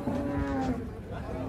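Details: Cattle unloading from a truck, still sleepy. A long, even, low moo carries on for over a second beneath a muffled backdrop of music and rumbling noise.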